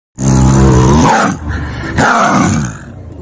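A young tiger gives a loud, harsh roar, then two shorter rasping growls.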